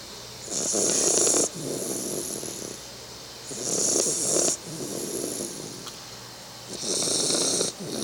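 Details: A 3-month-old Bull Terrier puppy snores steadily while asleep, each roughly one-second breath a rough, airy rasp with a sharp hiss on top, in a slow rhythm with quieter breathing between.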